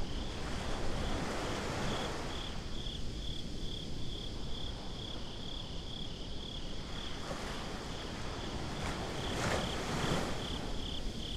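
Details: High, pulsing cricket chirps carry on without pause at a beach after dark, binaurally recorded, over a low wash of surf and wind, with brief sharp clicks near the end.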